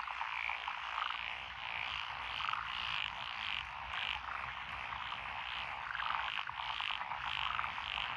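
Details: Many frogs calling at once in lotus rice paddies beside a rural road, Echizen City, Fukui Prefecture, Japan, June 2021; steady overlapping croaks blend into a thick chorus with a few brighter notes standing out.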